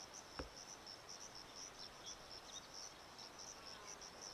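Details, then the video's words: Male Sciobia cf. caliendrum cricket singing in front of his burrow at Zahara, Andalucia, Spain, 17 May 2014: high, pulsed chirps repeated about three times a second over a chorus background, with a brief click near the start. "Sciobia cf. caliendrum, chorus and male in front of his burrow"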